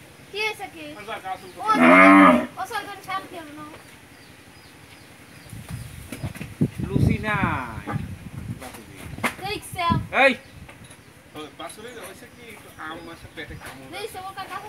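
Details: Friesian cow, a first-calver that has given birth to a bull calf, kept by a family in Pabna, Bangladesh: one loud drawn-out moo lasting about half a second, followed by men talking in Bengali throughout.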